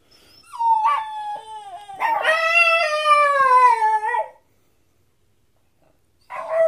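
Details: Dog that had never barked before, vocalizing at night to another household dog. A sustained, wavering howl slides downward over several seconds, then silence, then a short final yelp.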